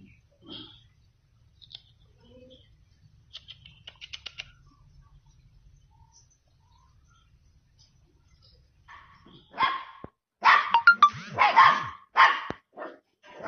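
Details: Samoyed puppies. After a long stretch of faint rustles and small squeaks, a burst of high, sharp puppy yelps and barks comes in quick succession near the end.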